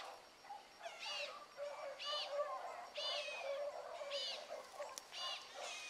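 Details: Morning rabbit chase by young hounds Ringo, Mingo, Choco, Boone and Dino: distant bawling voices repeating roughly once a second, each cry sliding and ringing, several dogs overlapping.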